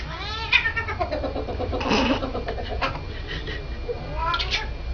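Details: A domestic cat gives short rising-then-falling meows at the start and near the end. Between them come rapid, harsh, noisy bursts, over a steady low background hum.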